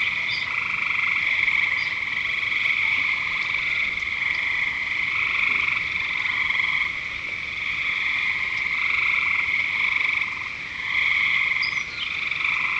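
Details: At Lake Curcio a crowd of frogs keeps up a continuous high trilling chorus, with bursts of lower pulsed croaking coming and going every second or two and occasional sharp chirps.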